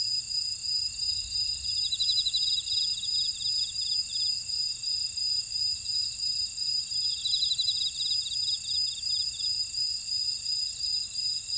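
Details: A chorus of insects in a buckwheat field at Ora-dong, Jeju City, South Korea, fills the air with continuous shrill ringing over a throbbing pulse, while two longer rattling trills rise and fade within a few seconds.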